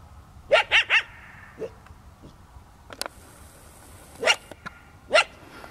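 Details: A startled desert coyote barks at a trespassing runner in the evening: a fast triple of high yelping barks, then a pause with faint rustling and a brief high hiss, and two more sharp barks.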